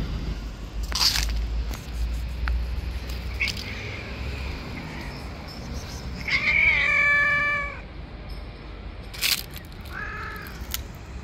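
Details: Stray street cats clash over the territory of an angry white cat; one drawn-out harmonic meow near the middle, a shorter wavering cry later, with sharp clicks and low traffic rumble throughout.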